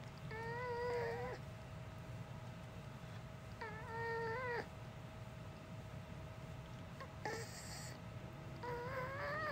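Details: Uni the dog, known for a human-like voice rather than barking, utters drawn-out whining cries with a wobbling, slightly rising pitch, about three in ten seconds, against constant low room hum and a faint tone.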